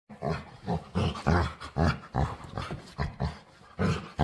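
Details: A demanding dog begging to play, making weird noises: a run of low, rough, growly grumbles in short bursts, about two each second, with brief gaps between them.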